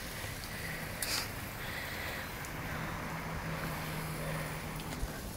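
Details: Loud rushing outdoor noise like water from a hose or wind on the microphone fills the whole recording, with a couple of brief knocks and no animal call.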